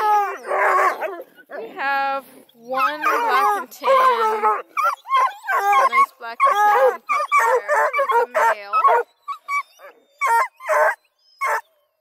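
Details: Several coonhounds, a mix of Blueticks, Redbones and Black and tans from a breeding kennel near Kingston, Ontario, Canada, bay together in long, wavering, harmonic howls that overlap and break into short bursts, with brief pauses between.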